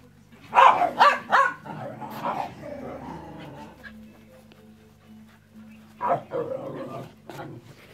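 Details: Dog barking, one of the pair Enzo and Ozzy: a quick burst of three or four sharp, mid-pitched barks near the start, a lower grumbling tail, then two more barks after a pause; a faint steady hum underneath.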